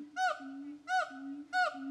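A siamang gives loud, harsh, rising-and-falling barks about every two-thirds of a second over a steady low hum.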